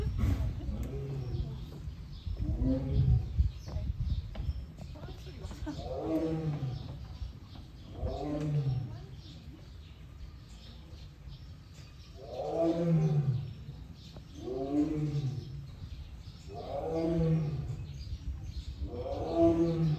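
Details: Male Siberian tiger born 2013, captive at Seoul Grand Park zoo, South Korea, filmed 22 June behind an iron door; deep rumbling roars repeated every two seconds or so, rising then falling, with voices and low background hum.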